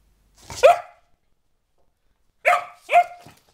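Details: Sophia, a springer spaniel pup of four months acting slightly crazy, gives one bright bark, falls silent for nearly two seconds, then fires off two more barks close together.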